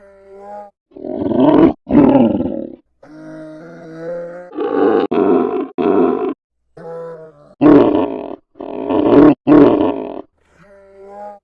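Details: Polar bear uttering a long series of loud rasping roars, often in close pairs, interspersed with softer harmonic moaning whines over about eleven seconds.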